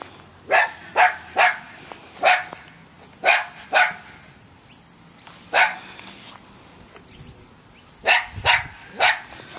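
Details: Tenterfield Terrier puppies, 6½ weeks old, from Cruz and Ruby's litter, 15 February 2012: sharp, high yaps in uneven bursts of two or three, about eleven over ten seconds, against a steady high hiss.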